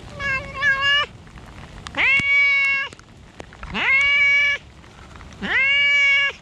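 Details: Cats in a rainy park, one calling insistently: four drawn-out meows, the first wavering, the others swooping upward then levelling off, each near a second long, with light rain noise between calls.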